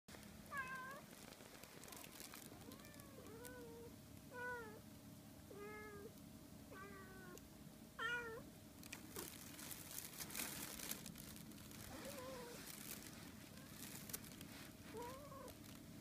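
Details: Two Siamese cats, a male and a female, indoors; the female keeps her distance, wary of the male's sudden cat punch. Repeated harmonic meows, some arching, some dipping and rising, come every one to two seconds over a steady low hum.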